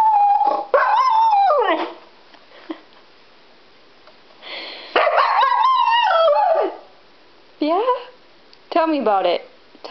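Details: Female Siberian Husky at home, upset at being left behind when others went to a pet store, gives long wavering howl-like 'talking' vocalizations that rise and fall, repeated several times, while a woman chats back to her between calls.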